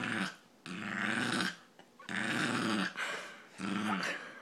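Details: Brussels pug named Ozzy producing his funny noise, three drawn-out, gravelly snort-like grunts, each close to a second long, separated by short breaths.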